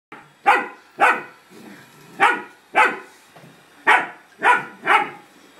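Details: German Shepherd puppy barking at a cat in a standoff: six sharp, bright barks spaced roughly half a second to a second apart, each a short broadband burst, quiet room between them.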